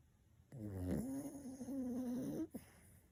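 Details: Mu-chan, an old, plump black toy poodle weighing 6.5 kg, sound asleep and snoring: one long, loud, droning snore lasting about two seconds, with a buzzy tonal hum that dips, then holds steady before breaking off.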